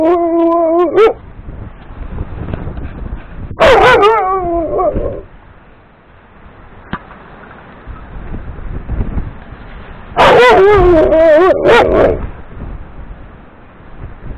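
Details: Jango, a dog barking to get a big yellow ball thrown for play, recorded 2 April 2018: loud harmonic barks and whining yelps in bursts near the start, around four seconds, and again at ten to twelve seconds, with quieter gaps between.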